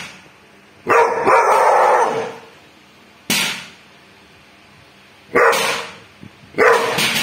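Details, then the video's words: Bull, a dog, barking at a thief: four loud, harsh bursts, the first drawn out over more than a second, separated by quiet gaps. "bull biết sủa ăn trộm"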